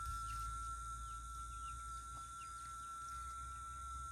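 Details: Rural Itaporanga, Sertão da Paraíba, late afternoon of 14 December: cicadas sing the afternoon out. A continuous, even, whistle-like note sounds throughout. Faint chirps from distant birds and a low rumble lie underneath.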